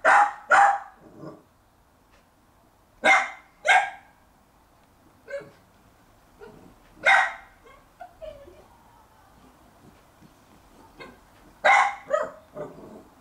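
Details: Younger Jack Russell Terrier barking in a garden while trying to win a bone from the dominant older dog; repeated pairs of sharp, harsh barks every few seconds, with softer yips in between.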